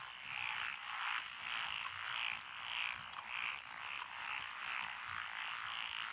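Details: Paddy frogs among lotus fields on a country lane in Echizen City, Fukui, Japan, June 2021: rhythmic rasping croaks swell and fade in bursts nearly twice a second over a dense background chorus.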